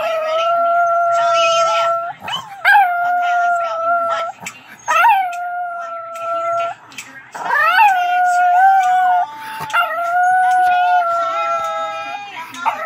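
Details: Chihuahua singing along with a Chiweenie in drawn-out, steady howls. Long held tones are broken by short rising yelps, and notes overlap where the two dogs join in. Faint speech is heard underneath.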